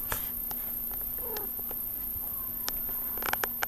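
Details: A sleeping domestic cat, snoring and giving small meow-like sounds while asleep: brief soft rising and falling tonal calls among faint clicks and rustles, a steady low hum underneath and a high electronic whine throughout.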